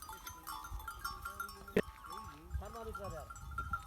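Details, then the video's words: Wild mountain sheep on the rocky slopes of Koh-e-Suleman, Dera Ghazi Khan, Pakistan, with goats nearby; a short wavering bleat, then two quavering bleats, over steady tonal background hum and low rumble. "Wild Mountain sheep and goats"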